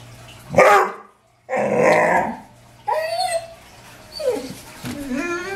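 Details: Dobermann riled up by deer in the back yard, barking in short harsh bursts and then giving high rising whines and yelps between barks.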